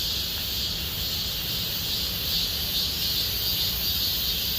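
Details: Cicadas in Gomsol Nuri Forest, Sihwa district, as summer deepens: an even, piercing, high drone with a few faint thin whistled notes threading through midway, over soft low background noise.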